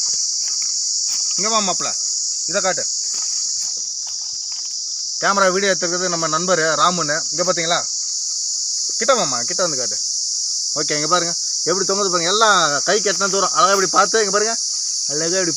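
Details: Cicada (sil vandu) singing in a Manila tamarind tree, a constant high metallic whine that never falters, with a man speaking intermittently in short phrases and brief rustling.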